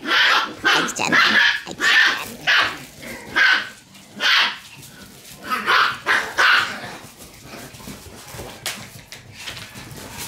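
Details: Shiba Inu puppies in a serious tug-of-war over a toy, giving a run of sharp, bright yips and short growly bursts roughly every half second, tapering off into quieter scuffling noises.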